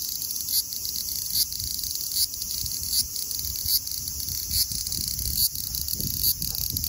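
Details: Large brown cicada (Graptopsaltria nigrofuscata) singing at 24 degrees (75 °F): unbroken high buzzy sizzle with brief accented pulses repeating under once a second, some low rustling beneath.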